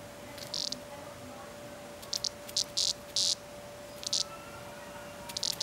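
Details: Cicada being batted around by Nellie the cat, producing short clipped buzzy bursts, some in quick pairs and triplets, scattered irregularly over a few seconds against a faint constant hum.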